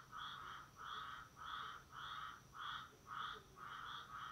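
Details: A tree frog gives harsh, nasal calls, repeated about twice a second in a steady series; the recording is very quiet.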